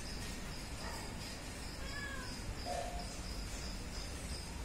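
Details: Hungry stray kitten named Browny, trying to jump onto a wall, gives a few short, faint meows around the first and third seconds, set against steady cricket chirping and a constant low background rumble.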